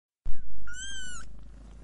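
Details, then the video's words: Domestic cat purring while nursing a kitten: a steady low pulsing rumble throughout, with one brief clear tonal mew-like sound slightly falling in pitch near the middle. "Cat breast feeding kitten and purring"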